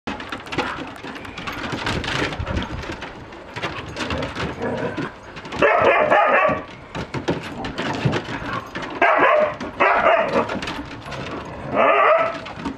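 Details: Siberian Huskies at a chaotic reunion as a young male returns to his breeder's home and meets his mother, father and brother; short harsh yelping bursts and excited whines overlap amid scuffling noise.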